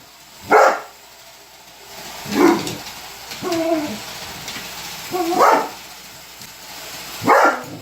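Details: Indoor recording of a Weimaraner barking at a robot vacuum cleaner that annoyed him, four sharp separate barks about every two seconds with softer lower whines and grumbles between them and a faint steady hum.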